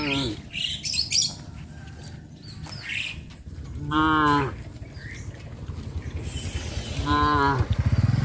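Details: In the evening, as a farmer leads his cows to their pen, two drawn-out, tonal moos sound several seconds apart amid bright bird chirps and rustling.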